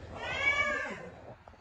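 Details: Rescued stray cat being treated for cat flu, starting to eat again, gives one clear drawn-out meow, rich in harmonics, rising slightly then falling away after about a second; a faint tap follows.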